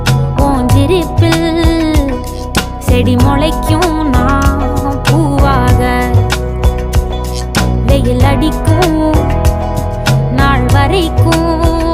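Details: Loud song with a singing voice over steady rhythmic instruments and deep bass throughout, with no animal calls.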